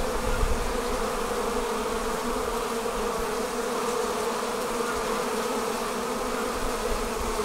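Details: Swarming honey bees leaving the hive fill the air with a thick, even drone, a steady buzzing roar without pauses and a little low rumble underneath.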